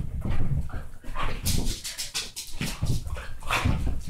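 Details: Two pet dogs, a Basset Hound and Dachshund mix, playing hard indoors: continuous low rumbling growls broken by scuffling bursts and sharp rustling noises throughout.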